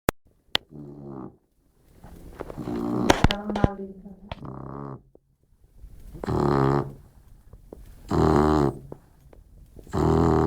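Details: Modesto, a Labrador Retriever, snores while asleep: after scattered clicks and softer rumbles, three loud, low, buzzy snores arrive about every two seconds near the end.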